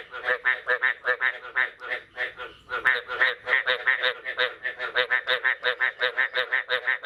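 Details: Frogs croak on the morning of 9 May 2022, following the first rain of the year. Loud, nasal pulses come in a fast, even rhythm of roughly three each second.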